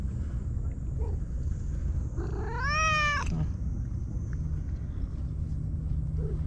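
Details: White stray cat that lives alone on the tetrapods in Japan gives an enthusiastic welcome, a single drawn-out, arched meow over continuous low background rumble.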